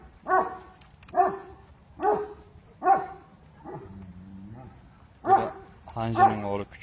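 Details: Aksaray Malaklısı dog at an Aksaray Malaklı farm, giving deep, harmonic barks about once a second, five in a row with a short pause, then a low droning tone and a person's voice.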